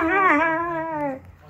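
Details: Whippets Runner and Ravage singing: a single drawn-out, tonal, melodic howl with rich overtones, steady at first and then gently falling in pitch before fading after about a second.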